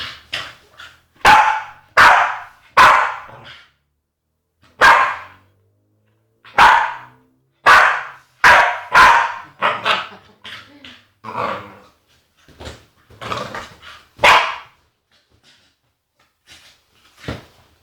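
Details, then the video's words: Female Staffordshire Bull Terrier, agitated, letting out a long series of sharp, loud barks and yelps at irregular intervals, some in quick pairs, mixed with softer mutters and grumbles, in a quiet indoor room. "Agitated Staffy makes funny noises"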